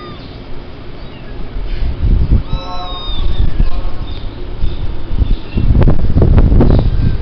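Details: Kitten at a cattery giving a single short meow with a clear harmonic, slightly rising then falling tone, set against a steady low hum; rustling and knocking noises follow in the second half.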